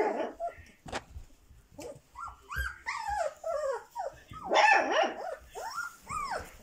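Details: A 22-day-old Dobermann pup gives short, arching squeaks and whines in quick irregular runs, several rising then falling in pitch, with a few soft huffs between.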